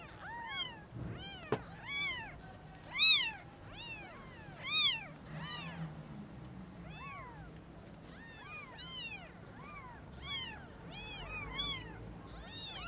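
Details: Newborn kittens whose eyes have just opened, meeting the mother cat for the first time, give a stream of thin high mews, each a quick rise and fall, several voices overlapping at an uneven pace.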